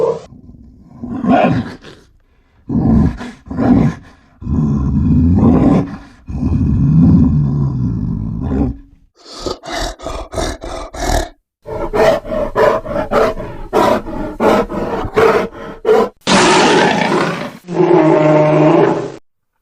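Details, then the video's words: Grizzly bear roaring in several separate bursts: deep, rough, broadband roars and growls, short gaps between them, the later bursts harsher and brighter with a more rasping texture. "Grizzly sounds and photos. Grizzly bear"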